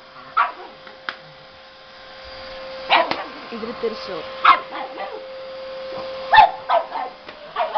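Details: Chinchu, a pet pug scared of the vacuum cleaner, gives short, sharp barks at irregular intervals, some single and some in quick pairs, over a steady electrical hum with a person's voice nearby.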